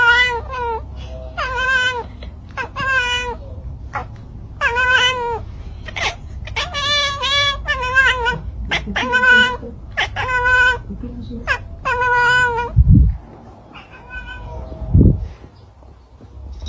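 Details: Cats and kittens in a funny compilation, giving a rapid series of loud, harmonic meows and wails, some drawn-out and rising, for about twelve seconds, followed by quieter low thumps.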